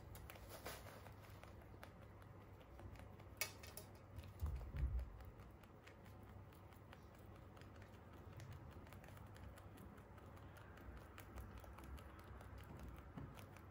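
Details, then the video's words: Holland Lop bunnies, kept as free-roam pets, chewing hay: fine, rapid clicking crunches like light tapping, about two or three a second, with a short louder rustle near the middle and a soft low background hum. "Cute rabbits eating hay | Relaxing ASMR crunchy sounds"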